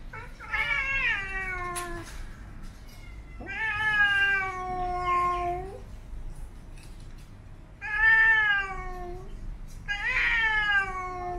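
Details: Singing-style growling from Siamese cats during grooming and play: four long, harmonic, moaning calls, each about one to two and a half seconds with a slight downward slide, separated by short quiet gaps.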